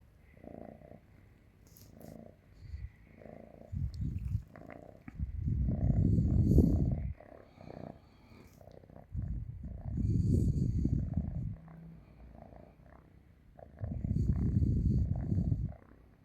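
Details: Cat asleep on a person's stomach, purring loudly like a tractor: deep rumbling purr rising into strong swells with each breath, roughly every four seconds, separated by softer quiet stretches.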